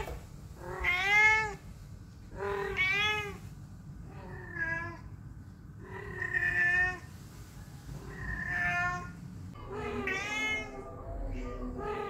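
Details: A house cat that always meows whenever people are around calls indoors in a series of about seven harmonic meows, each rising then falling, some drawn out, spaced one to two seconds apart over a low background hum.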